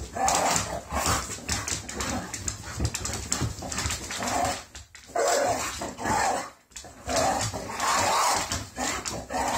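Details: English Bull Terriers give excited morning greeting sounds, a mix of whines, grumbles and short barks, greeting each other daily after their morning walk and breakfast.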